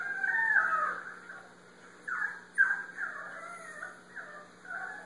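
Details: Diesel, a Basenji, lets out warbling, yodel-like barks that slide up and down in pitch, in uneven short bursts over a faint, steady background hum.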